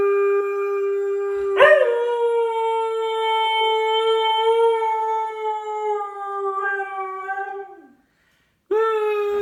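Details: A pet dog holds a long, pure, level howl for about six seconds, wavering slightly before dropping and trailing off. A new howl begins after a brief pause, on the same steady pitch. The background is quiet.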